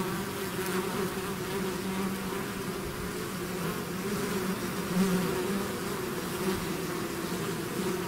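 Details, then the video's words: Swarming bees leaving their hive fill the air with an unbroken, layered hum, low and steady, with occasional individual bees swelling louder as they fly close. "bees therapy swarm natural buzzing sound"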